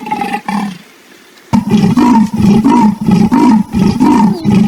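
A leopard gives a series of hoarse, rasping grunts in quick succession.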